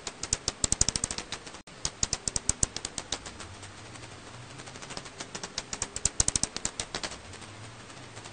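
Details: An Alashan pipistrelle bat recorded in 2020 in Korea gives rapid dry ticks in irregular bursts of sharp clicks.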